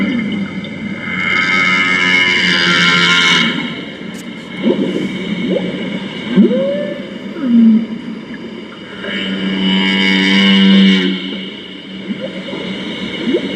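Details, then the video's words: Humpback whale song played back at the International Antarctica Centre in Christchurch, New Zealand: long tonal moans and swooping up- and down-sweeps in a low register, broken by hissy broadband bursts over a steady hum. "హంప్ బ్యాక్ వేల్ సాంగ్స్ చాలా బాగుంటాయి. వినాలని ఉందా? కొంచెం ఒక ½ minute ప్లే చేస్తాను, వినండి, చాలా బాగుంటుంది."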